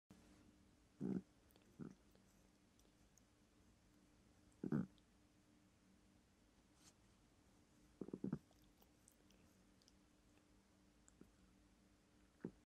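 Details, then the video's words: A cat grunting while grooming herself indoors: short low throaty grunts in scattered bursts, single or doubled, separated by several seconds of quiet with faint room hiss. "cat grunts as she grooms herself"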